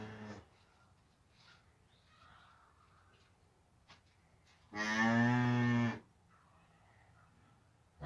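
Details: Cattle with a newborn calf taking its first steps: one clear, steady moo lasting about a second, with only a faint, quiet background before and after it.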